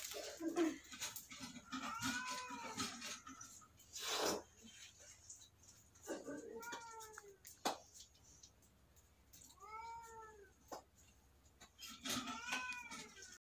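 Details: Kitten meowing indoors, giving about four drawn-out, arching meows spaced a few seconds apart, each rising then falling in pitch with a rich tonal quality; sharp knocks and clicks break in between over a low steady background hum.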